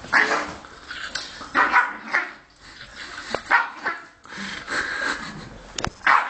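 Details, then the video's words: Angry Greek dog barking in harsh, rasping bursts, four or five loud barks spaced irregularly over six seconds, with quieter growling noise between them. "amazing greek angry dog"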